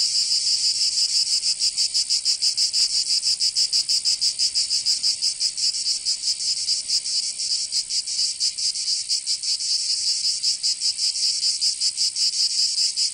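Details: Provence summer cicadas in the south of France: a constant piercing buzz with quick rhythmic throbs, slightly uneven in spacing, holding steady at full strength with no other noise.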